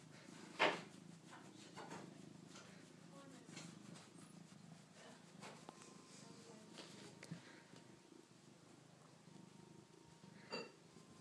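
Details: Callie Luna, a domestic pet cat, purrs steadily as a low continuous rumble, broken by a few sharp clicks and brief knocks in a quiet indoor room.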